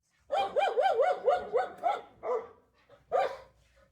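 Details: Rapid yapping from a dog: a quick run of about eight rising-falling, tonal barks, then a few spaced, fading yaps, with nothing else audible.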